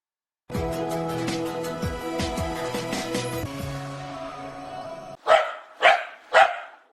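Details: Real dog cry: after about five seconds of music, three loud, separate barks ring out about half a second apart, each fading quickly.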